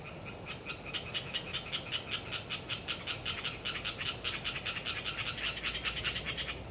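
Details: Hyla orientalis tree frogs in a windy autumn swamp forest at Galeriç, Kızılırmak Delta, Samsun: a steady run of rapid, nasal clicking pulses, roughly two and a half each second, growing louder toward the end over a constant low rumble of wind.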